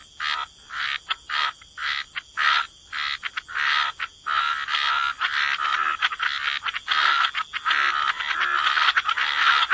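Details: Chorus of croaking frogs in a wetland at the water's edge; harsh, pulsed croaks repeated in quick irregular runs, merging into a dense continuous rasp in the second half.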